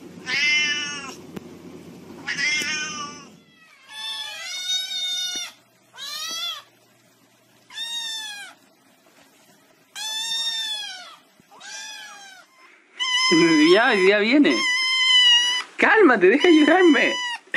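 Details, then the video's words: Domestic cats meowing in a rapid series of short arched meows, one every second or so, then louder overlapping wavering yowls from more than one cat toward the end. "Funny Cats Meowing ★ Meowing Cats Compilation"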